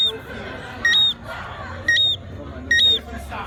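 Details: Three short, high two-note chirps from a Jamaican tree frog at a resort in Montego Bay, about one per second, each a lower then a higher whistle, with people talking quietly behind.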